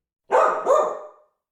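A dog gives two quick barks in a row, the second slightly longer and trailing off.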